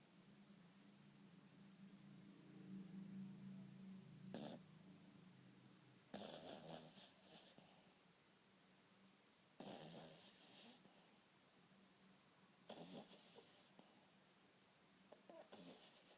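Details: Maltese puppy snoring softly indoors: a low steady hum underlies breathy, hissing bursts of snoring that arrive roughly every three to four seconds, with a faint rasp between them; no other voices or noises stand out.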